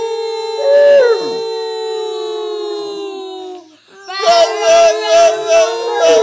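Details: Bullmastiff howling as it sings along with its owners: long, steady, drawn-out tones held for several seconds, a short pause, then a wavering, pulsing howl. Human singing blends in.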